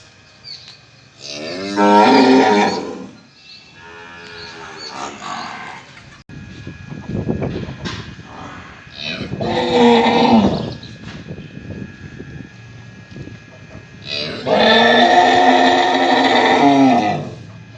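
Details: Mother cow calling her calf at feeding time: loud, drawn-out, bellowing moos of two to three seconds each, near the start, in the middle and at the end, with quieter lowing and farmyard noise between.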